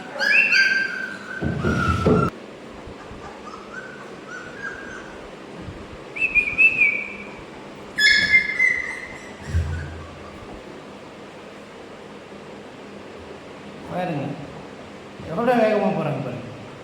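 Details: Newborn Labrador Retriever puppies, 16 days old, eyes just opened, with their mother let in nearby: short high whines and squeals, several sliding downward in pitch, come in scattered bursts between stretches of quiet, with dull knocks and brief rustling.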